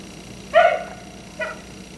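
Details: Black Labrador retriever left outside by neighbours until 1am, barking at night: one loud harmonic bark followed by a fainter, shorter bark about a second later, over a quiet steady background hum.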